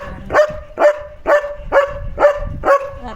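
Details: German Shepherd barking at another dog that has come outside, alerting its owner: six evenly spaced, forceful barks about every half second, steady in pitch and loudness.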